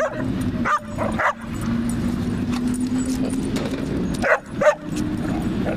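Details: German Shepherd puppy wrestling and playing in an STL dog park: short sharp yips and barks at the start and again near the end, over a steady low hum and rumbling outdoor noise, with a person calling out.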